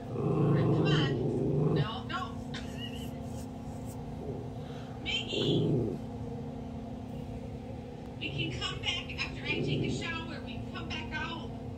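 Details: A schnauzer growls at other schnauzers on TV, giving low, rumbling growls in short bursts while a person talks nearby.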